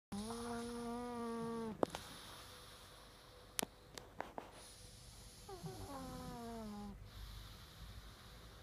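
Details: Pug snoring. Long, humming, tonal breaths, each lasting about one and a half seconds, come roughly five seconds apart. A few sharp clicks fall in the quiet gap between them.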